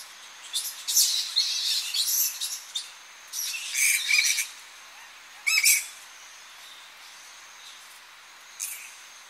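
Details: Tonga flying foxes returning at dawn to coastal roosting trees, close recording: scattered shrill, scratchy squawks in short bursts separated by quiet gaps, a few sharp screeches standing out.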